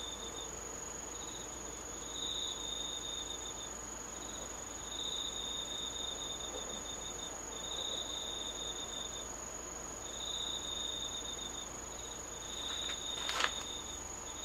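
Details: Moonlit autumn insects recorded 19 August 2013, a constant piercing high ringing note beneath repeated lower metallic trills lasting one to two seconds each, steadily alternating with short pauses; a single sharp click near the end.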